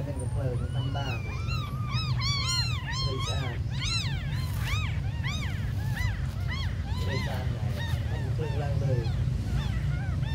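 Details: A group of very small abandoned kittens mewing in dense chorus, many shrill arched cries piling on top of each other, busiest in the first half, then thinning to scattered calls, with low rumbling noise underneath.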